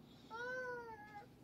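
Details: A single Siamese cat from a household of wrestling, noisy cats in the Philippines utters one clear, smooth meow lasting under a second, gently rising then falling, against a quiet indoor background.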